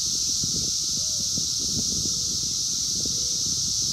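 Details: Wild 17-year Brood X periodical cicadas during the 2021 emergence, recorded on a phone: a dense, steady, high droning chorus with a lower even hum beneath, plus low rustling and thumping noise and a brief sliding tone.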